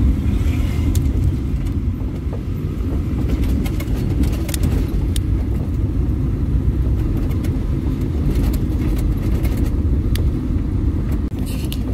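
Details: Steady low engine rumble of a moving vehicle fills the recording, with occasional knocks and rattles and no animal voices.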